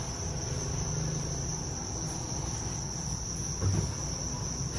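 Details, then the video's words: Continuous shrill trilling from a mass of farmed Thai crickets, steady in pitch and loudness, with low droning noise underneath. "dế mèn Thái"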